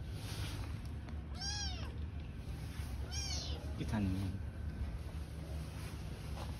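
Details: Stray kittens and mother cat living on the street: two short, thin, arching meows about one and a half seconds apart over a strong low rumble of background noise, with a brief human voice afterward.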